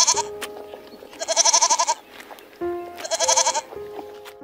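Two quavering, nasal goat bleats, each wavering rapidly for under a second, about a second apart. Soft background music plays throughout.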